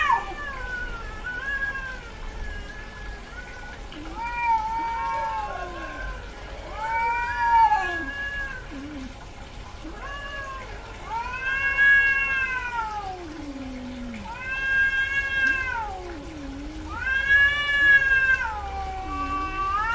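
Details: In heat, a female domestic cat vocalizes repeatedly: a series of arched, wailing meows every two to three seconds, interspersed with lower descending moans and a faint steady hum in the background.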